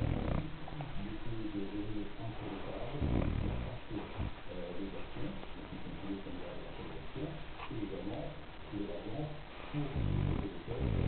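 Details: A French Bulldog snoring: low, rasping rumbles with nasal, buzzy snorts, coming in rhythmic bursts every second or two, some breaths louder and rougher than others.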